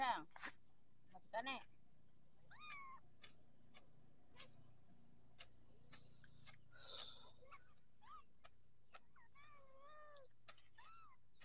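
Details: Growing Persian kittens: scattered thin mews, some wavering or sliding downward, come at irregular intervals among sharp clicks and knocks, with a faint low hum and brief human voices in the background.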